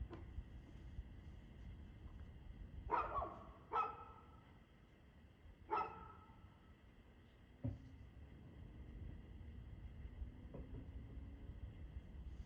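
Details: Barks from a dog on the evening of 2/6/2024, 6:02 pm: two close barks, a third after a pause, then a softer fourth, each short and punchy against a quiet, low background drone.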